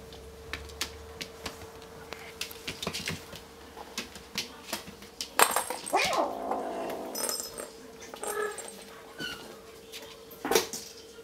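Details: Young male Bengal kitten playing with a pink sparkly ball indoors; a brief wavering mew rises and falls near the middle, followed by a few thinner high cries, among rattling clicks and knocks from the ball and a steady low electrical hum.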